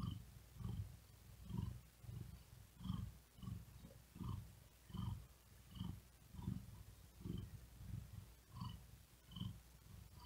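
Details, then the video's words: Overheated cat lying on a wooden desk, unable to sleep, purrs steadily: a continuous low rumble rising and falling with quick breaths, more than one swell per second, soft breathy whisper on each. "Asmr Cat Purring And Whispering Sound"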